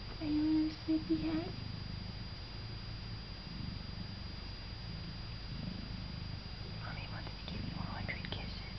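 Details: Male house cat, raised by an opossum and never taught to meow, being cuddled by his owner indoors: a low, hoarse duck-like quack near the start, then steady purring and a woman's soft voice late on.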